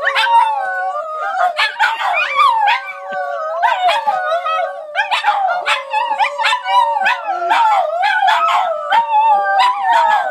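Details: Chorus of three Border Terriers in St Albans, sustained drawn-out howls layered over each other, pitch bending up and down, with frequent sharp yelps punctuating the group song.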